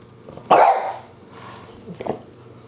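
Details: Pet French Bulldog reacting to a dust buster with one sharp, loud bark followed by a quieter second bark, a constant low mechanical hum underneath.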